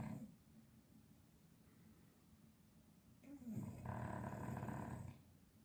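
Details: A sleepy English Bulldog snores with a low, rumbling rattle that swells into a loud, harsh snort.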